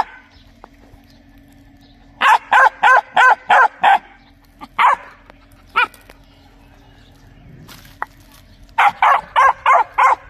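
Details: Domestic dog barking loudly in quick bursts: a run of six sharp barks, a few isolated single barks, then another rapid series of about six barks near the end, with quiet gaps between.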